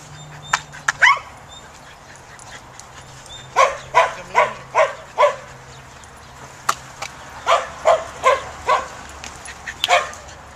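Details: Samoyed dog barking in a herding instinct test: a few scattered yips, a quiet stretch, then two rhythmic runs of five or six barks each, about two and a half per second.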